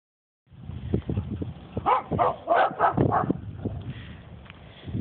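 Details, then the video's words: Dogs barking near horses, a burst of several sharp, mid-pitched barks clustered in the middle of the stretch, fading into muffled low rumbling and background noise. "Dogs bark."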